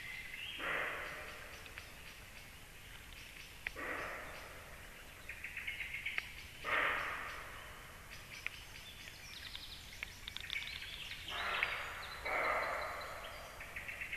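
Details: Deer barking near a black stork nest at 19:31: harsh, hoarse, breathy barks about a second long, coming irregularly every few seconds, with faint bird chirps in the background.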